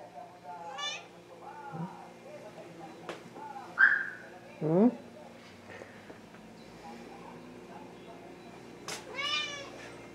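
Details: Rommel, a pet Wichien Maat (Thai) cat, filmed indoors in July 2017, gives several short, rising-then-falling meows spread across the recording, one louder and strained, with quiet Spanish speech and room noise underneath.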